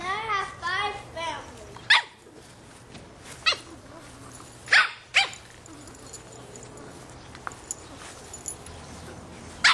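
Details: Boston Terrier puppy, 3½ months old, barking at a soccer ball; a man's voice speaks at first, then about five sharp, scattered barks follow with pauses between them.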